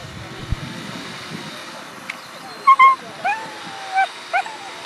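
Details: Whippets at the FCI European Championship 2018 dog show, a series of high, sliding whines and short yelps, five or six in quick succession over a steady background hum and murmur of the venue.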